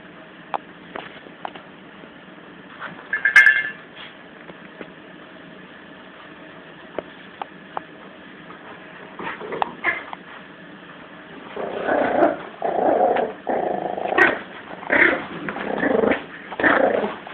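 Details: Lulu, a 17-week-old female Yorkshire Terrier puppy, growls while playing tug of war with Eddie, a Jack Russell. Bursts of throaty, rumbling growls come in rapid pulses over the final six seconds after quieter scuffling and clicks.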